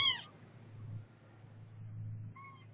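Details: Setty the cat meows twice: a loud, bright cry at the start, then a softer, shorter meow near the end, separated by quiet with a low steady hum.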